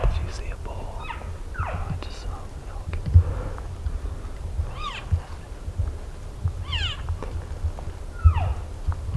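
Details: Elk in a group called in close by hunters in Colorado, giving a series of high, sliding mews that drop sharply in pitch, scattered irregularly across the recording, with low rumbling background and quiet human voices.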